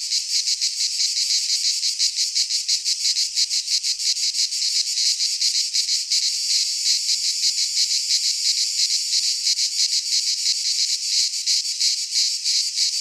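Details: Cicadas singing in midsummer in a Greek pine forest: a dense, loud, continuous buzzing chorus with rapid pulsing, about three pulses per second, filling the high range with nothing else audible.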